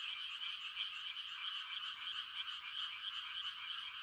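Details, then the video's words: Many frogs calling together on a quiet rural night during rice-planting season, their croaks merging into a steady, pulsing high chorus with no gaps and no other sounds. "The sound of frogs on a quiet country night"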